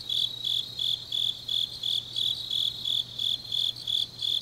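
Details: Autumn grass insects calling late at night in Changnyeong, Gyeongnam, Korea, giving evenly spaced shrill chirps, nearly three per second, with a soft constant low drone beneath.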